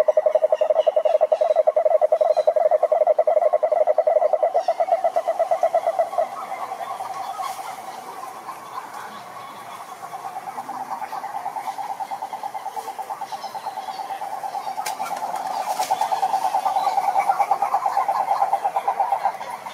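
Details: A toad gives a long, rapid pulsed croak, strong at first, then softer and wavering before swelling again. Faint background callers and scattered clicks are heard.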